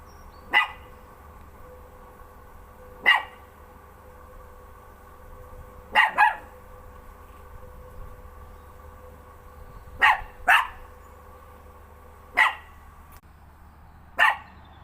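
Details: Pet dog barking at nothing, single sharp barks spaced a few seconds apart, some in quick pairs, about eight barks over fifteen seconds in a quiet room with a faint steady hum.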